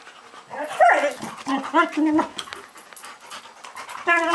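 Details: Labrador Retrievers fighting: short harmonic yelps and whining cries rise and fall, with a loud burst near the start and another at the end, amid scuffling noise.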